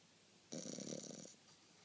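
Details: French Bulldog snoring indoors: a single rough, rattling snore lasting under a second, with a pulsed low buzz and a faint hiss above, then quiet breathing-level room noise.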